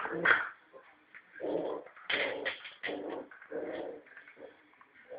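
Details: A Norfolk terrier puppy of about three and a half months, a male, plays with a ball on a rope indoors, giving short, rough, nasal growling bursts in uneven spurts, with a higher yelp-like note at the start.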